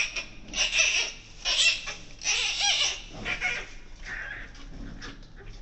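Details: Giant panda cub, newborn, with mother Wu Wen in the birthing den at Ouwehands Dierenpark, born 12 July 2024: uneven series of high, raspy squeals and squawks, some with a brief tonal wail, varying in loudness.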